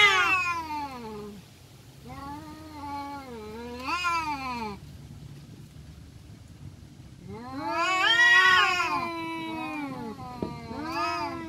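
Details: Fighting village cats trading wavering yowls: short moaning calls early on, a quieter stretch, then a loud strained howl rising and falling, followed by a few fainter wails and a low background hum.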